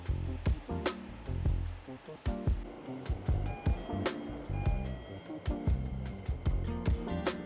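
Rhythmic music with a heavy beat plays, with a faint hint of surf and no animal voices.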